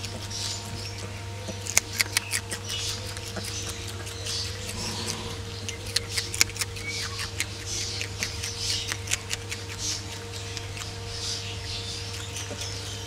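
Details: Ring-tailed lemurs (Lemur catta) eating their meal, chewing with sharp crunchy clicks and snaps over a steady low hum.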